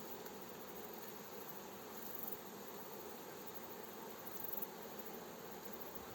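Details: A fresh honey bee swarm being guided into a hive by a beekeeper; a thick, continuous droning buzz of many bees, even in loudness, with a faint airy hiss above.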